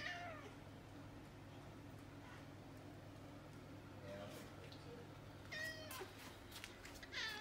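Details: Choco, a hungry brown-and-white cat, meowing indoors to demand food while rubbing against feet; faint short meows early, then two clearer rising meows near the end among rustling and low room hum.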